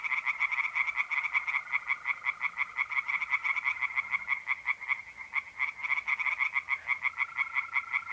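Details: Singing tree frogs in a pond on an April night in North-East Italy: a loud, unbroken chorus of quick, harsh pulses, several frogs overlapping, with a mole cricket's smooth trill returning near the end.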